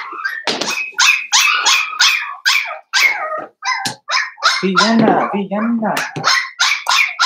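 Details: Blenheim Cavalier King Charles Spaniel puppies, a litter of five born on New Year's to Paris and Spike, in the Red Barn Cavaliers puppy pen: dense overlapping high yips and whining squeals in quick bursts, with a brief lower voice midway.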